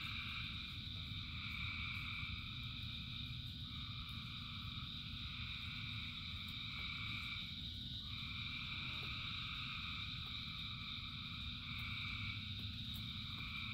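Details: Frogs in rain by the thousands, their trilled calls merging into a continuous pulsing drone that swells and softens, accompanied by light rain ticks and a low steady murmur.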